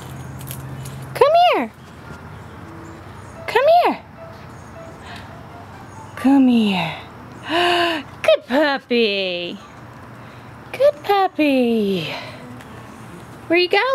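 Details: Green Guy, a young Airedale Terrier puppy, lets out a string of sharp arched yelps and whimpers, each climbing then dropping in pitch, in bursts every two seconds or so, with quiet gaps and a faint low hum between.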